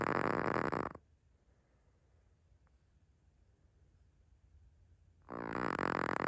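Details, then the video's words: Sleeping Chihuahua named Naomi: the tail of one raspy, rattling snore fades out, a long near-silent gap of about four seconds follows, and another loud buzzing snore starts at the end. "Naomi the Chihuahua snoring louder than most humans."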